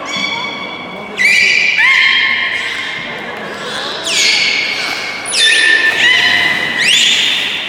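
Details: Captive beluga at Port of Nagoya Public Aquarium, public training on 24 March 2018, 16:30 session: loud, rich harmonic calls that glide upward then hold steady, several in succession, with faint audience chatter behind.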